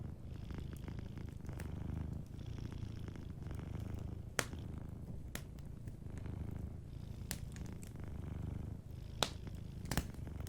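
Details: Deep, steady purr of a sleeping cat dominates, a soft vibrating rumble with brief breathing pauses, accompanied by occasional bright crackles and snaps from a cozy fireplace.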